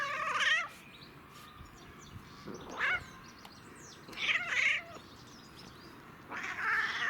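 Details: Cat enjoying catnip gives strained, rising meows with strong upper harmonics, four calls at irregular intervals with short silences between them.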